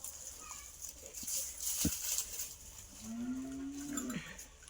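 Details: Native village cow that has just given birth to a small calf, at home in a village. A single long, steady, low moo drawn out for about a second near the end, with faint rustling and a constant high hiss behind it.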